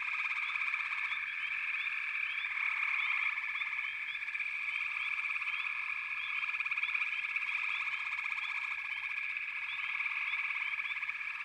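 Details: Chorusing frogs in backwater, an unbroken shrill buzz of many voices with rhythmic pulsed trills waxing and waning every few seconds and frequent brief rising chirps sprinkled throughout.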